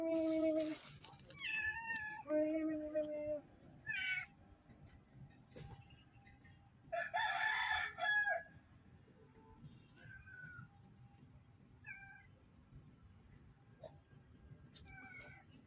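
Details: Stray cat begging for food: a run of loud, wavering meows, some rising and falling, then several shorter, fainter meows spaced a few seconds apart over a quiet low background hum.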